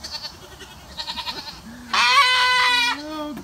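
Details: Goat screaming as it gets a bath: soft voices and faint sounds at first, then one loud, hoarse, sustained scream of about a second, then a woman's low talking.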